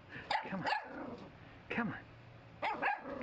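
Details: Two young Cavalier King Charles Spaniel puppies, born January 2011, at play on a deck on a sunny April 3, 2011. Sharp, high puppy barks come in quick pairs, then pause and return, with a person's voice nearby.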